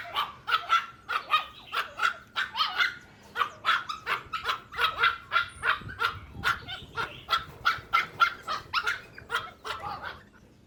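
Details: Puppies playing outdoors in a toy battle with their mother dog: a fast, busy run of short, sharp, high barks and yips, roughly two or three per second, with overlapping voices throughout and no pause.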